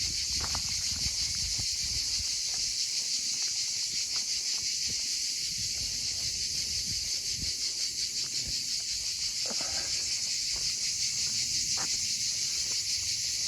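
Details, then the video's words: Cicadas singing in sunshine after the sun returns, along a walking route between Montarnaud and Saint-Guilhem in the Hérault valley, France: a loud continuous high rasping drone with fast steady pulsing, plus footsteps and faint rustling below. "Et le soleil, comme vous pouvez le voir, est revenu. Avec les cigales, avec le chant des cigales."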